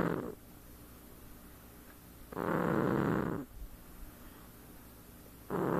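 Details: Domestic cat snoring while asleep indoors, slow breathy rasping snores about three seconds apart, each a broad noisy rush lasting roughly a second, with quiet room hiss between breaths.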